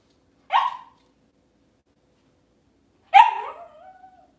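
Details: Two sharp, high barks from a Cavalier King Charles Spaniel in a home kitchen on a cloudy Monday morning, about two and a half seconds apart. The second bark drags out into a thin, steady whine.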